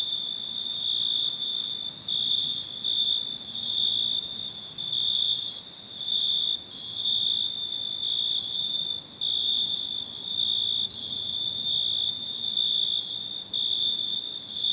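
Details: A cricket's shrill, sustained trill, swelling and fading in loud bursts about once a second without ever fully stopping; no other sounds stand out.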